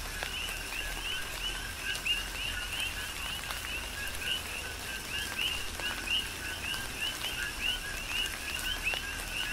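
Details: Tropical rain on Hawaii's Big Island with a continuous coqui frog chorus; repeated two-note calls, low then rising high, interleave from several frogs while raindrops patter and drip in the background.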